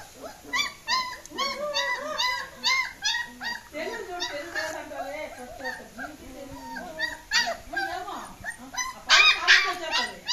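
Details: Escaping German Shepherd puppies keep up rapid, repeated high yips and whines, several each second, rising and falling in pitch with a few louder squeals toward the end.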